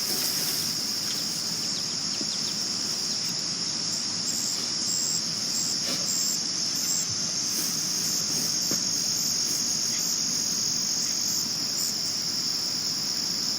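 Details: Crickets chirping at night in 2022. A loud, unbroken, piercing trill stays on a single high note throughout, with a few faint clicks and a soft wash of background noise.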